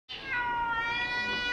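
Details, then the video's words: Persian cat talking with its owner indoors, giving one long, steady meow of about one and a half seconds, tonal with rich harmonics and slightly falling at the start. "Persian cat talking cat talk with me."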